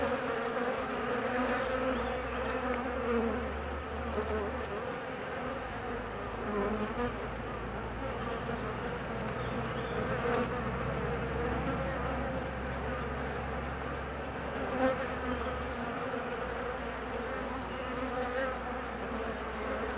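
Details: Honey bee colony restless during the queen's roughly 45-minute mating flight; sustained rich buzzing drone throughout, with overtones and a deep low hum running beneath most of the recording.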